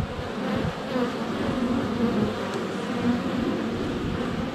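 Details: Crowd of honey bees flying at the hive entrance, captured inches away by a GoPro Hero 7 Black in sunny February weather; a busy, wavering buzz with individual wingbeat whines passing close.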